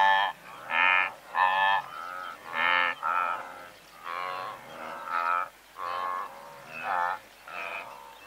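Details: Several hundred blue wildebeest in a herd give nasal honking grunts, each lasting about half a second and coming in a loose rhythm of roughly one per second, with a quieter murmur of the herd between calls.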